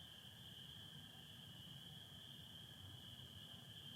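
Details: Michigan spring peepers at night on 24 April 2025, stars and satellites overhead with some overcast: a constant high-pitched ringing chorus of countless overlapping peeps, over the softer steady trill of American toads and faint low rumble.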